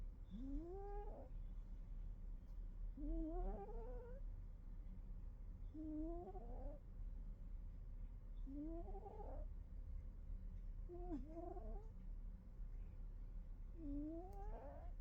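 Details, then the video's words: Kitty asleep and snoring, each breath giving a rising, whistle-like squeak with a hooked tail, six in a row roughly every two and a half seconds over a soft low hum. "Snoring kitty"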